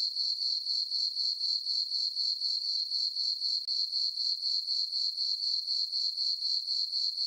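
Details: Crickets in a meadow on a farm at night under a full moon in summer, a sustained piercing chirp pulsing rhythmically at roughly four beats per second, one short gap midway.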